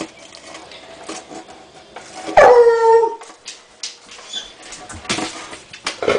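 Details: Female hound dog baying at a turtle while trying to get it to play: after quiet shuffling, one long mournful bay sounds, holding steady then dropping slightly, followed by scattered thumps and soft noises.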